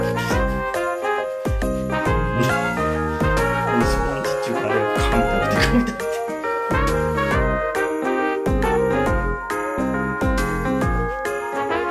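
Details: Bright jingle-bell music with tinkling chimes and a steady beat fills the whole stretch, with no animal voice heard.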